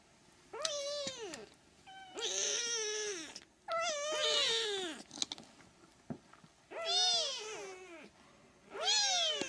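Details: Three-week-old Siamese kittens meowing: five loud, high, arched mews in about ten seconds, each rising then falling, some drawn out and wavering, with short quiet gaps between.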